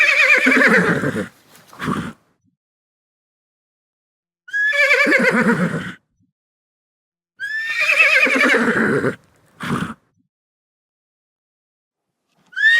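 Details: Horse whinnying repeatedly: long, quavering, descending neighs of about one and a half seconds each, every few seconds. Each is followed by a short snort-like burst, with quiet gaps between the calls.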